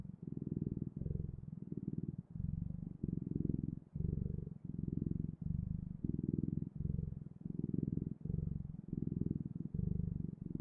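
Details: Steady cat purring, a deep buzzing rumble in repeated breath-length bursts, some slightly louder, continuing evenly throughout with nothing else audible.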